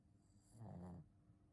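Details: Shih Tzu named Ponta snoring: a single low, rumbling snore lasting about half a second, with steady droning harmonics, swelling in and then cutting off in a quiet room.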